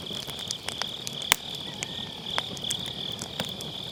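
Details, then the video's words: Autumn-night grass insect chorus next to a burning campfire, recorded with a Sennheiser MKE600 and low cut: constant shrill trilling, with one loud crack of firewood and smaller pops scattered through. "가을밤 풀벌레 소리"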